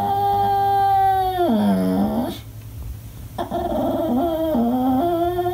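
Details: English Bulldog pup throwing a fit when not played with, giving long harmonic-rich whining cries that slide downward into a low moaning wail, then after a pause a second stepped, wavering cry, indoors.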